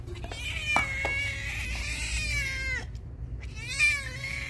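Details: Hungry cat drinking milk, giving a long drawn-out meow that wavers then drops, followed by a shorter meow, with a person speaking Punjabi nearby and some background hum.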